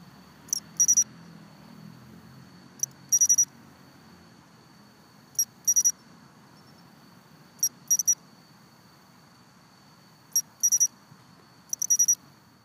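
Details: Japanese pine crickets sing high, bright chirps in quick clusters about every two seconds at a long-untouched planned road construction site in southern Suma, Kobe.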